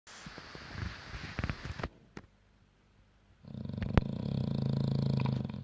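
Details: French bulldog snoring: a scattered, noisy first two seconds, a quiet gap, then a steady low rumbling snore with fast rasping pulses over the final two seconds.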